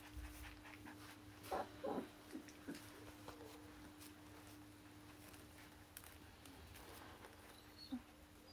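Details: Young Akita pups, born 16 November in Hungary and sired by Kotono Go, give a few brief whiny whimpers and soft squeaks near the start, then mostly quiet room noise with a steady low hum and a last faint squeak.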